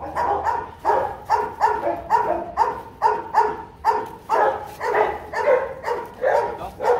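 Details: Rottweiler father Bruno, a Latvian young champion, with his 7-month-old son Igor at a kennel; a long steady run of about fourteen barks, nearly two per second, fairly even.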